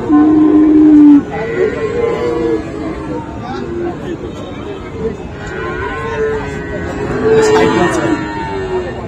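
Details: Friesian and crossbred bull calves at Raniganj livestock market, Dinajpur, 7 November 2024: a loud, steady, level moo lasting about a second opens, followed by quieter overlapping lows from other cattle amid crowd chatter.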